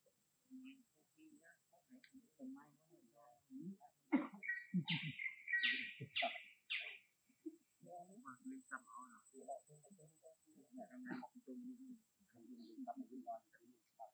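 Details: Baloo the monkey uses his small voice to beg for extra food, a run of strained high squeals lasting about three seconds midway, framed by steady low human chatter indoors.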